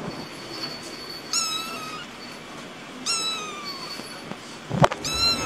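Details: Kitten producing three thin, level meows spaced about two seconds apart, separated by a soft rustling background and a brief knock.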